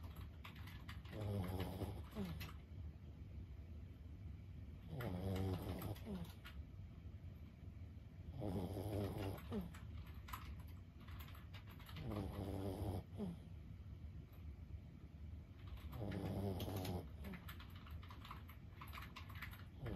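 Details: Steady snoring from Lulu, a 15-year-old Boston Terrier asleep indoors; five rasping, fluttery inhalations arrive roughly every four seconds, each lasting about a second, against a constant low background hum.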